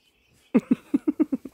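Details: Keyser, an Irish red and white setter, gives a quick run of seven short, tonal whimpering yelps, evenly spaced over about a second, in a quiet indoor setting with no other sounds.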